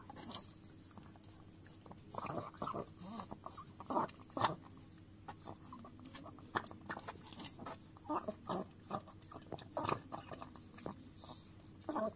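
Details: Pet Chihuahua Dio working at a frying pan with its tongue: a long run of faint, irregular lapping ticks and scrapes, some soft and some sharper, over a low steady indoor hum.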